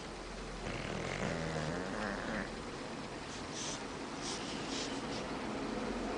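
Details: Sleeping bulldog snoring: a rough, rasping breath carrying a low droning hum with a faint higher wheeze, running continuously for about six seconds indoors.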